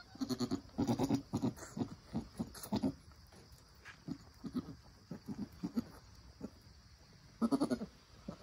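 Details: Newborn Nigerian Dwarf doeling and her mother during birth and first nursing, the doe encouraging the kid: clusters of quick, deep, soft grunting notes, loudest near the start and again toward the end, quieter pulses in between.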